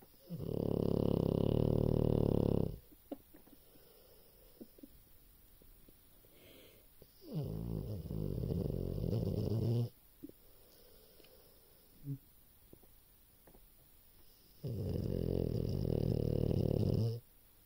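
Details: Dog snoring indoors: three long, deep, rasping snores of about two to three seconds each, separated by quieter breathing gaps with faint small clicks between them.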